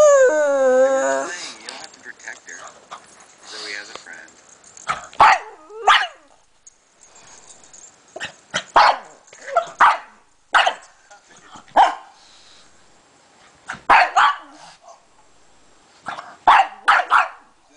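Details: Pug barking while attacking a laptop: loud, sharp barks in short bursts of two or three, spaced irregularly over the clip, with a person's voice talking at the start and quiet room noise between barks.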